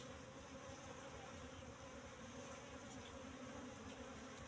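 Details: Asian honey bee colony, about three and a half months old with full combs, in a temporary cultivation box at harvest time: faint, even, dense buzzing with no clear pauses, over a hissy background.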